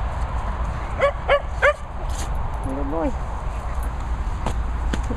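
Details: Dogs at play at a Worcestershire countryside training and boarding kennels, a Hungarian Vizsla and a Bichon among them, during a game of tug: three quick sharp barks in a row, then a short wavering whine, over steady background hum and people talking.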